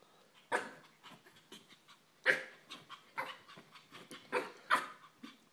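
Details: Puppy barking in an irregular run of sharp, high yaps, around a dozen bursts in under six seconds, a few loud and the rest softer.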